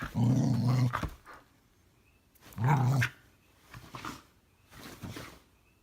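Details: Indoor female Norwegian Elkhound voicing weird low grumbles because she would rather play than sleep; two strong deep growly moans about two and a half seconds apart, followed by softer snuffles and breaths.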